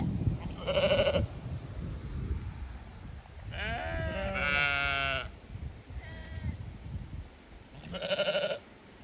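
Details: Zwartbles sheep on an Irish regenerative farm in County Kilkenny, assuming they will be moved to new grazing; a short bleat, then a long trembling two-part bleat, a faint call and a final clear bleat, with low wind-like noise.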